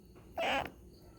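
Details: A pet cat, one of several kept at home, gives a single short tonal meow, steady and slightly rising, lasting about a quarter second against a quiet indoor background.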